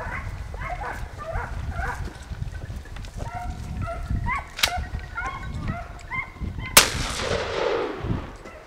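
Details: Italian hounds (segugi italiani) baying while hunting hare in Italy: a run of short, overlapping, harmonic yelps repeated rapidly by several dogs, then a sharp gunshot near the end that echoes away.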